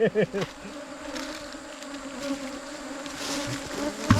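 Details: Asian honey bees in a wild cavity nest during a 2022 honey-hunting outing: a steady droning hum with two layered low tones throughout, and brief human voices at the start.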